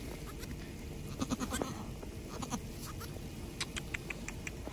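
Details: Domestic goat mother just after her first kidding, a hard birth with a single kid: a short run of low, quavering bleats midway through, over steady background hiss and scattered clicks.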